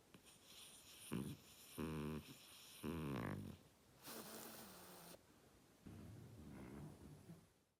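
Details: Oleg, a pet French Bulldog, snores so loudly the walls shake: five rasping, rumbling snore breaths with brief pauses between them, indoors and with no other sounds.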